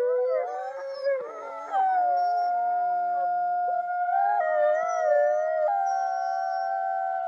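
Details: Wolf pack howling together: several long, smooth, overlapping tones, some steady and some sliding up and down, forming a layered chorus with no other sounds.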